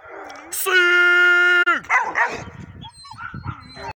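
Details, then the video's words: Pitbull and Bluetick Coonhound cross dogs, two pups with their mother, baying at a raccoon: one long steady howl-like bay lasting about a second, then scattered short barks and yips, with voices mixed in. "Pitbull bluetick cross pups bark at coon"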